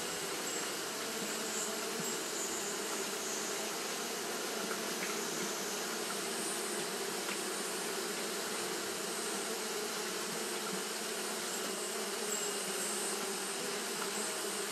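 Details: A colony of Japanese honey bees fanning throughout a hot day: a constant, slightly wavering hum of many wings, low droning bands under a broad hiss.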